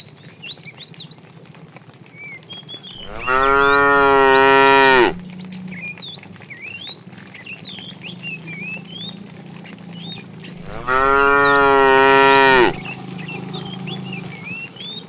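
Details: Two long, strongly harmonic moos about eight seconds apart, each lasting around two seconds, from a fat cow calling the female while a tame herd is driven in the afternoon; many small birds chirp throughout.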